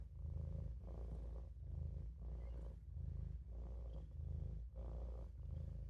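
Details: Olof, a Maine Coon kitten, purrs while taking a nap in the sink: a deep, continuous rumble pulsing in regular breath cycles about every 1.3 seconds, brief quiet gaps between inhale and exhale.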